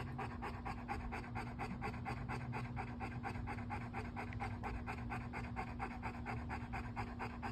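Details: Bo, a pet dog, panting steadily on a beautiful day in Meridian, Idaho, before an expected thunderstorm: quick rhythmic breathy puffs about two per second throughout, over a low steady hum.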